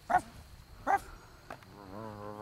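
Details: Four-week-old Great Pyrenees puppies, a litter taken outdoors for the first time on a property in Middle Tennessee; two short, high yelps about 0.75 seconds apart, followed by a person talking.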